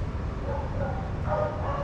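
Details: Adoptable shelter dogs playing together at a daycare give short, mid-pitched barking calls that rise and fall over a steady low rumble of background noise.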